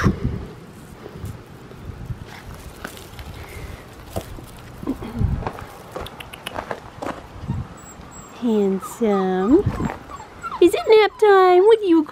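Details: Blue merle male Australian Shepherd puppy at Fifteen Acre Farms, whining in a string of high, wavering, harmonic cries near the end, after a stretch of soft handling noise and a woman's gentle baby talk.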